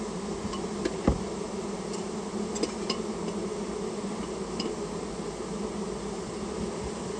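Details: Japanese honey bees, a rare colony removed from inside a storehouse at the owner's request; a steady, low, full-bodied buzzing of many bees with occasional light taps and clicks.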